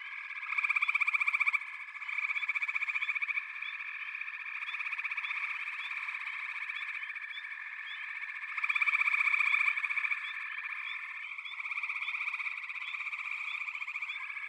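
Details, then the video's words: Backwater frog chorus with a steady shrill trilling drone and loud pulsed bursts of rapid croaks rising out of it twice, many frogs calling at once. "Backwater Chorus, & Frog Chorus"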